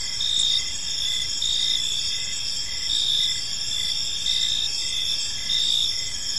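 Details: Crickets chirping in a park on an evening, a dense chorus of high, steady trilling with pulsed chirps swelling roughly once a second over a faint low background hum.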